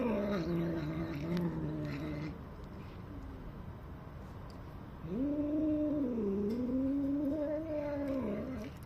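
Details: A domestic cat that has just got delicious food makes weird, long, wavering, moaning yowls while bragging about it to other cats, pausing briefly between two drawn-out bouts.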